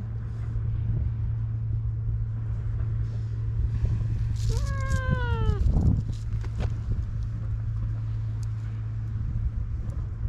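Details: Stray outdoor cat sunbathing on a cat island in Japan while being petted, filmed on a GoPro; one short descending meow midway, over steady low wind or engine rumble and handling noise.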